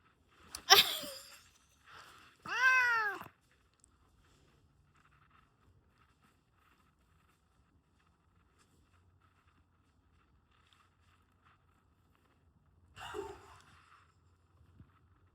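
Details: Domestic cat making two short meows in quick succession near the start, a long quiet stretch with faint low hum, then a softer, rougher meow-like cry near the end; indoors.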